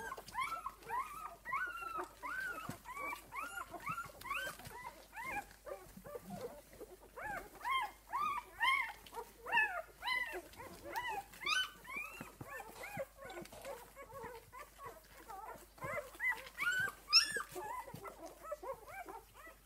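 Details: Six-day-old puppies from Esmée's litter fill the recording with constant overlapping squeaky whines, each a short rise-and-fall arc, packed closely and irregular, with a sharper high yelp around the seventeenth second.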